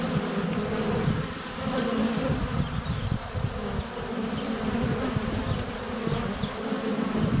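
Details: Close-up hive entrance recording of honey bees in flight during a sunny February spell, captured by a GoPro Hero 7 Black; a thick low drone of wingbeats with passing loudness swells and light bird calls high above.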